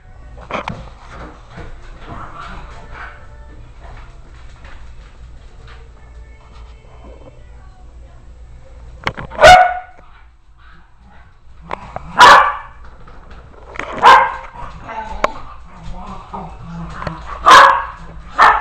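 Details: 2-week-old Miniature Dachshund puppies nursing from their mother give soft whimpers, then several sharp, short yelps a couple of seconds apart.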